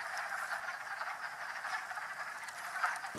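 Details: Wood frogs calling from the woods in March on the Mount Tom range, western Massachusetts, a sound likened to ducks having a party: a dense chorus of many overlapping rapid, clucking croaks with no pauses.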